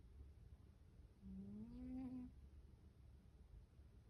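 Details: Sleeping Siberian cat snoring softly: one quiet, faintly tonal breath that rises slightly and lasts about a second, over a low steady background hum.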